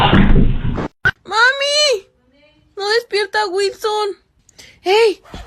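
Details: Domestic cat indoors, giving a string of drawn-out, rising-then-falling meows: one long wail, then four quick meows in a row, and a last single meow. A short burst of noise comes before them.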